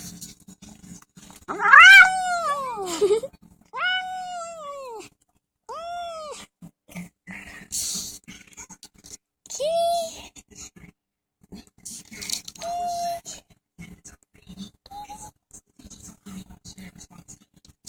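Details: Overweight male domestic cat protesting being filmed while eating indoors; a series of short arched meows, first loud then softer, spaced a second or two apart, mixed with clinking and eating sounds.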